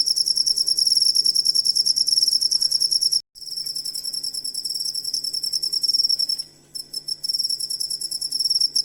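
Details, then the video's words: Songbird-training cricket sound: high, shrill chirping trill pulsing rapidly, cut by a brief silence after three seconds and a short break near seven seconds, then continuing; faint low hum throughout. "Asli Ampuh Suara Jangkrik Buat Masteran Burung Kicau"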